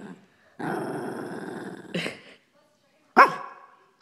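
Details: Shih Tzu, a female pet dog, growling and demanding her toy: a long rough growl for about a second and a half, then a sharp bark, a short pause, and another loud bark, with quiet gaps between.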